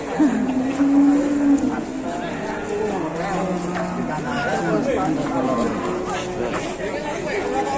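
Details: A fierce cow unloaded from a truck in Indonesia lets out one sustained, flat moo lasting over a second, after which people talk and call out over a crowd-like background with faint further lowing.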